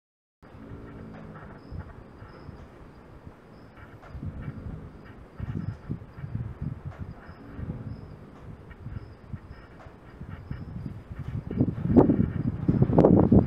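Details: Gypsy Vanner filly named Merida snoring during her naptime in August 2016: low, rough breathy rumbles swelling in uneven bursts every second or two, growing louder and denser toward the end.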